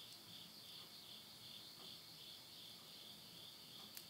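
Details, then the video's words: Late-summer insects singing at midnight near a house in Yurihama, Tottori, Japan, in September 2020: an unbroken high ringing trill that swells and dips in quick waves, with a couple of crackles from a burning wood stove at the end. "the voice of insects"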